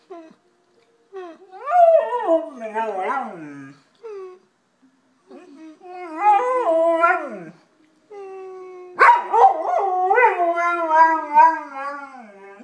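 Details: Jimmy the golden retriever howls like a person talking: several bursts of wavering, yodel-like howls that swoop up and down, with short gaps between phrases and a loud rising onset in the last burst.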